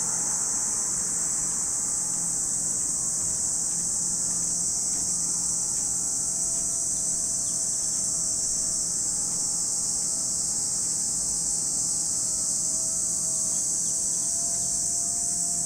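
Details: Cicadas at Lake Kamo in Sado City, Niigata Prefecture, Japan, a steady high-pitched shrilling drone that holds unbroken for the whole stretch, with faint low tonal hums underneath.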